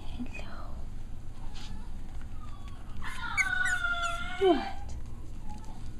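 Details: Six-week-old Cavalier King Charles Spaniel puppies at playtime: one clear, high whining cry holds steady for about a second and a half, then slides sharply downward, amid soft scuffling and quiet human voices.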